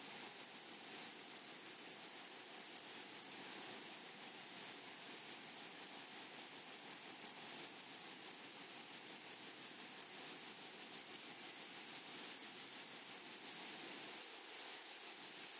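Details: Meadow grasshoppers among flowers on a prairie, rapid high-pitched chirps repeating about three times a second, in runs broken by brief pauses, over a soft constant buzz from other insects.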